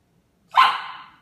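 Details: Eight-week-old male Rhodesian Ridgeback puppy during sit training, five days in his new home, gives a single short, high bark, between a person's commands to sit.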